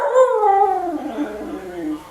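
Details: A female husky dog asks for food with a loud, tonal, howl-like vocalisation that starts high and slides steadily lower over about two seconds, wavering as it fades, with rich harmonics.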